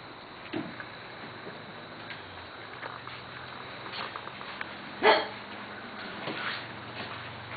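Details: Corgi puppies from the Missie, Cat and Sugarbaby litters playing in a play yard, 10/11/12; scattered short sharp yips and barks, one louder yelp midway, over steady room hum and background noise.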